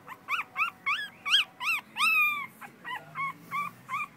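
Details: American Schnauzer dog giving a run of about a dozen high, arched whimpers and yips, each short and bent, one longer drawn-out whine in the middle, repeated roughly every third of a second.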